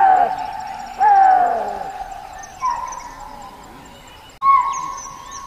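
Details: Axis deer (chital) giving sharp, shrill calls, each opening with a bright falling whistle and trailing into a fading, ringing tone; four calls at roughly one-to-two-second gaps, the last two softer.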